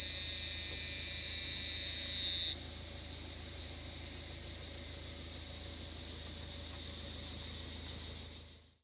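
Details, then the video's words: Cypriot black cicadas produce a continuous high, pulsing buzz at about three beats per second, joined early by a fainter steady whine, before the sound cuts off abruptly. "Cypriot black cicadas/zypriotische schwarze Zikaden"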